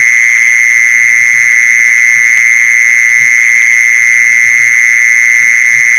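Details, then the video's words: Mole cricket sound used for luring mole crickets: a steady, unbroken high buzzing trill holding one even pitch throughout, with a fainter higher overtone and faint low rumbles beneath. "เสียงแมงจีซอน #ล่อแมงจีซอน"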